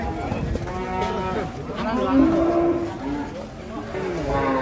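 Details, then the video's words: Angry cattle coming down off a truck: a loud, sustained moo swells in the middle, surrounded by further lowing and a background of people talking. "3 SAPI NGAMUK DAN LUCU TURUN DARI TRUK TAK TERKENDALI"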